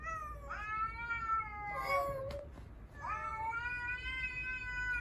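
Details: Cats in a multi-cat home of five rescued cats, sunbathing when a stray cat appears and tension rises; two long, drawn-out harmonic yowls at steady pitch, separated by a brief break with a short higher cry near the middle.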